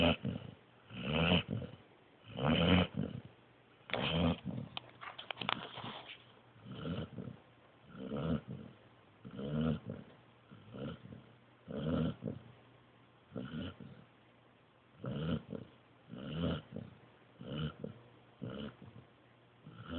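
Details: Joby, a Pointer pup, fast asleep and snoring: rough, breathy snores repeated roughly every one and a half seconds in a steady rhythm, each a short raspy burst, in a quiet room.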